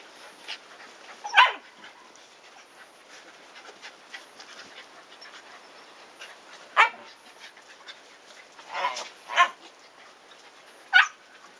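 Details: In a garden, Shiba Inu pups 104 days old run after their father during play as their mother seems to scold. Scattered single barks and yips ring out, one early, then a cluster near the end, with faint rustling throughout.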